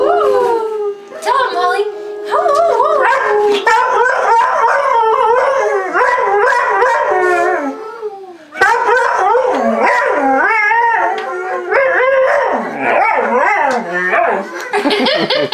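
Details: Two pet dogs, a Boxer/Malamute cross and a Schnoodle, howl at played-back Malamutes howling at a siren. Dense, overlapping mournful howls swoop up and down, with a brief dip near the middle before the chorus resumes.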